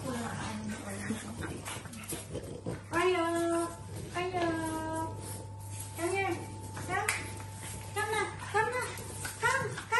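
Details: French Bulldog puppies whimpering indoors: a run of high, arching, tonal whines, several short bursts repeating about once a second from the third second onward, over a steady low electrical hum and faint voices.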